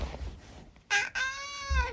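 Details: Eric, a senior tabby mix cat living with his family in the UK, chatting with his owner indoors: a short bright call followed by a longer steady harmonic meow, with a soft voice speaking before and after.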